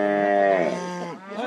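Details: During branding in El Oro, Durango, a calf gives a loud, drawn-out moo that dips and tails off within about a second, with a voice starting up at the end.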